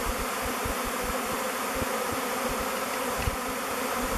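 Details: Honey bees in a swarm of thousands choosing the log hive Bee Beard before descending onto its face and entering; an even, dense buzzing drone with faint low pulses throughout.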